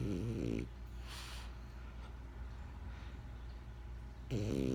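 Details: Benjamin, a pet French Bulldog, snoring indoors: rattling, low buzzy inhale with stacked harmonics near the start and again at the end, separated by a quieter breathy exhale.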